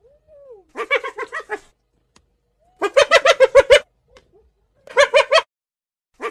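A hyena gives bursts of rapid, laugh-like yelps, each a quick run of harsh, pulsing notes.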